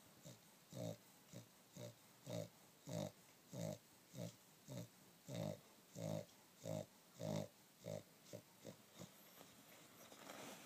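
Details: A dog dozing on a down duvet gives a dozen gruff, pig-like snores at a steady pace. They soften and become irregular near the end as faint rustling takes over.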